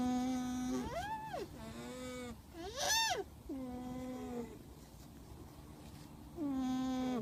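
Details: Alpaca calls: a steady nasal hum broken by arched, rising-then-falling whines, about four calls across seven seconds, each leveling into a flat tone, in a quiet background.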